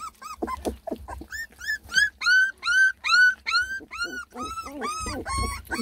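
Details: Beagle puppies, a litter of ten lemon and tricolor babies at their first food, whimpering in a regular series of short arched yelps about twice a second, clear and loud, with light background music.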